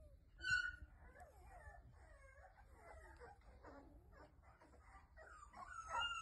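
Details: American Bully puppy indoors, giving thin, high whimpers and short yips that rise and fall, fairly quiet, with a louder squeal near the start and again at the end.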